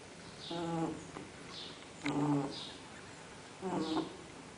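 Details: Fred, a pet dog, snoring in his sleep: three breathy snores with a low harmonic buzz, each ending in a faint high whistly wheeze, about every one and a half seconds in a quiet room.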